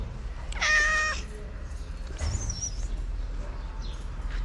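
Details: Abandoned cats in Morocco gathering at feeding time as plates of food are set down; one loud, clear, drawn-out meow, then a thinner, higher mew, over low rumbling background noise.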